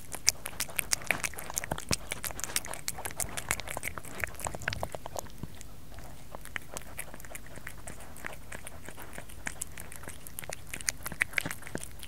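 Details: Kerry the cat eating, close-miked: a busy run of quick crunching and lapping clicks, thick in the first half, easing briefly mid-way, then resuming steadily against low background hum.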